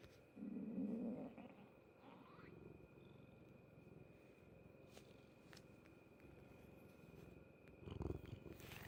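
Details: Close recording of a cat's stomach noise: continuous fast low pulsing, broken by a louder rough burst early on and another near the end, over a faint electrical hum.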